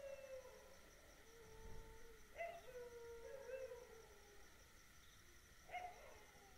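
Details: Dog howling at night, with long wavering wails that dip and rise, broken by short louder yelps, over a constant faint high-pitched background drone.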